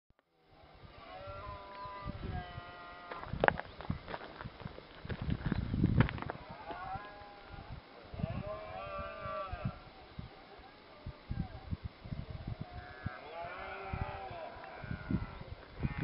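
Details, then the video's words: Red deer stags roaring during the rut at sunrise in Cabañeros National Park, Spain; deep, drawn-out groaning bellows with wavering overtones, several overlapping from different distances, over a steady background hiss. "Berrea ciervos en Cabañeros al salir el sol"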